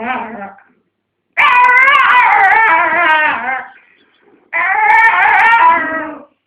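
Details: Pet dog making a strange racket while defending a dog chew from a second dog indoors; a short whine, then two long, loud wavering howls with pulsing tremble.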